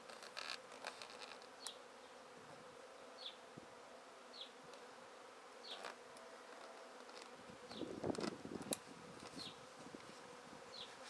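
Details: A honey bee swarm collected from a tree straight into a swarm basket drones in a steady low hum, broken by rustling and crackling handling noise, with a bird's quick high falling chirps recurring throughout.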